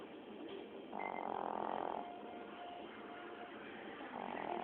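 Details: Chihuahua snoring in its sleep, one long wheezy inhalation of about a second followed by quieter breathing and the start of the next snore near the end.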